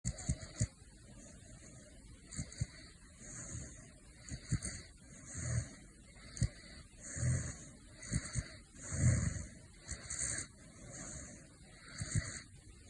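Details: A male caracal snores in his sleep with soft, low, rasping breaths repeating roughly every two seconds.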